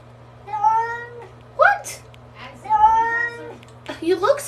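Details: Domestic cat indoors after a bath, giving two drawn-out, slightly wavering meows about two seconds apart, with a woman's voice talking over and between the cries.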